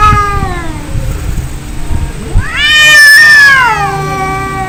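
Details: Angry cats in a fight: a descending moan fades into low growling, then a sharp rising screech swells into a loud sustained yowl that slowly drops in pitch.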